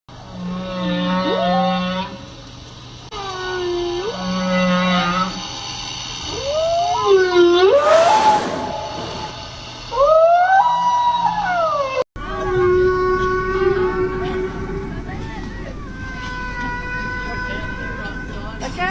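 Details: A whale right underneath the observers, said to be feeding, gives long tonal moans and swooping, harmonic cries, some rising and others falling, underwater.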